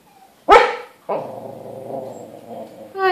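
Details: Domestic dog giving one abrupt, loud bark while its owner talks to it in Portuguese about being hungry; a long stretch of speech follows, ending with a rising voiced sound.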